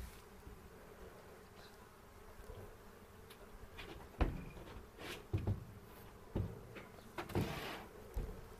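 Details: Colony of honey bees humming during an April 27 hive inspection near Cochrane, with hobby beekeepers checking for queen cells; an even drone runs throughout, broken by occasional thumps and scraping from frames being handled.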